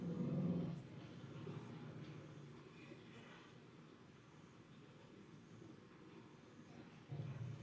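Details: A family of elephants gives deep, throbbing greeting rumbles to say hello to one another; these very low-frequency sounds travel long distances, partly below human hearing.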